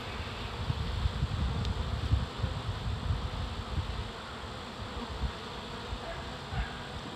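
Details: Captured reproductive swarm of honey bees, nearly seven pounds, Dale County, Alabama, early season; a loud, rough, low-pitched buzzing rumble that surges and pulses unevenly, strongest in the first half, then settles into a quieter steady hum.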